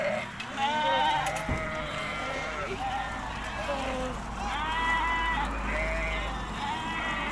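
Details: A flock of Hisori sheep, Tajikistan's popular ram breed, on 20 May 2023 during the move to summer pasture, gives repeated quavering bleats that overlap one another, with human voices and a low rumble underneath.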